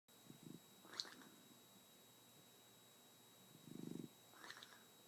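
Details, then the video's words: Nine-month-old Shar Pei snoring while asleep, each breath a low rattling, fluttering snort with a mouth-fart quality, two main snore bursts a few seconds apart, a steady high electrical whine underneath, quiet room. "Shar pei mouth fart/snore"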